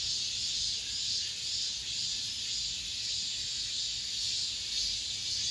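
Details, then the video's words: Cicadas of late summer singing among apartment buildings: an unbroken, bright, hissing drone with soft rhythmic swells roughly twice a second. "올 여름 마지막 매미소리, 아파트 단지 내..."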